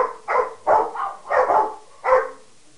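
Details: Household dogs Harley (Peke mix), Sadie (Rottweiler) and Wyatt (Mastiff/Pitbull) bark back and forth at each other, four hoarse, mid-pitched barks spaced roughly half a second apart.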